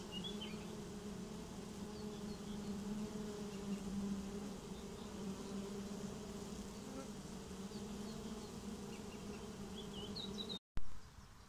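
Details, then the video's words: Swarming honeybees moving into a new home: dense, even buzzing with clear layered tones, lasting over ten seconds, with thin bird chirps above, then a brief cut and a louder burst of noise at the close. "Swarm of honeybees get new home"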